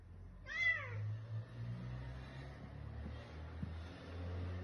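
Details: Bengal kitten being introduced to its new family gives one clear, arched meow, rising then falling with rich harmonics, in the first second, followed by quiet indoor background with a low steady hum and faint soft knocks.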